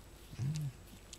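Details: Pet fox described as sometimes sounding like a pig, indoors with its keeper: one short, low, pig-like grunt, quiet and brief.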